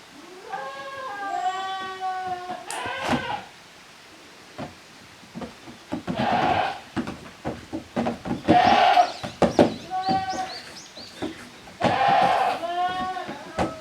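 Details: Kids of the goats Koharu and Okayu romp as two teams in the exercise yard of a handmade goat farm, Japan, June 13, 2023; repeated wavering, nasal bleats, some long and rising, amid hoof clatter and knocking.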